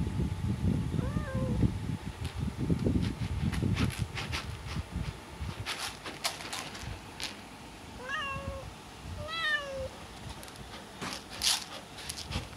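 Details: Siamese-Persian cat meowing as part of a ritual before toilet time. Three short, arched meows that rise and fall, one early and two close together later, over low rumbling and scattered clicks and clatter.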